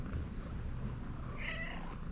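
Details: Tabby cat, a female in Istanbul, calling because she wants affection; a single short, high meow rises briefly near the end, over steady low rumbling background noise.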